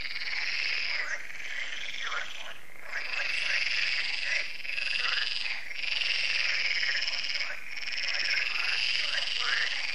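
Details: Evening frog concert at a French lake, Lac de Sabatte: many frogs croaking together in a thick, unbroken chorus, swelling and dipping slightly, with a few short thumping noises cutting through.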